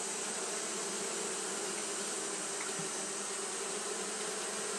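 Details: Hot-day fanning of Japanese honey bees: an unbroken, humming buzz with a strong low tone beneath a wide hiss, holding steady from start to end.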